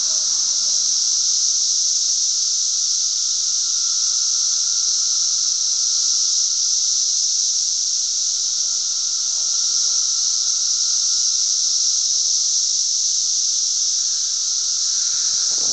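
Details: Cicadas on June 10, 2007 in Glen Ellyn, Illinois fill the air with a loud, unbroken, high-pitched hiss that holds steady throughout.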